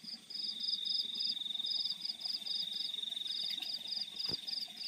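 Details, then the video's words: Field crickets at night with repeated short, high, buzzy chirp bursts in clusters, a continuous piercing tone running underneath, and a single sharp click near the end. "The Sound of Crickets in the Fields at Night"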